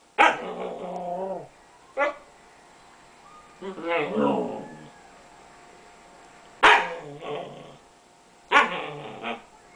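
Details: A dog barks at a cat, wanting to play; several sharp, yelping barks and a drawn-out whining bark spaced over ten seconds, with a person's voice nearby.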